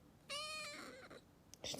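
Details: Aleef, a rescued calico kitten about two months old, once found hiding under cars, gives one short rising-falling harmonic meow indoors, followed by a woman speaking Arabic.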